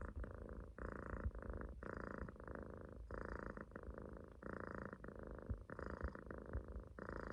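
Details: Sleeping Munchkin kitten loafed on its owner's stomach gives loud, buzzy rumbling snores, each breath lasting about half a second and repeating in an even rhythm with short pauses.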